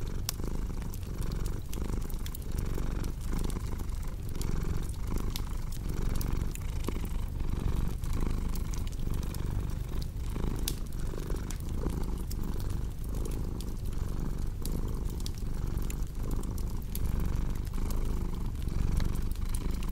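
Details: Long stretch of a cat's low, even purr, pulsing gently with each inhale and exhale, accompanied throughout by soft, irregular crackling from a fireplace.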